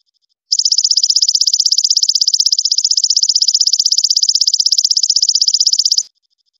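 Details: Golden grasshopper song, a tutoring sound for caged songbirds: after half a second of quiet, a steady high-pitched rattling trill of fast, even pulses lasts about five and a half seconds, then cuts off cleanly.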